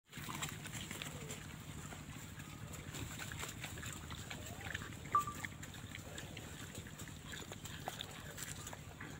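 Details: Wild boars feeding on green food in the wild grunt low and steadily, with crunching and rustling noises throughout.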